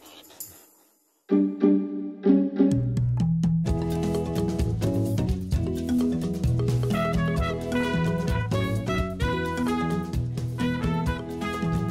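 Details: Upbeat instrumental music with drums and bright, vibraphone-like mallet notes starts after a second of near silence; no animal voices are heard.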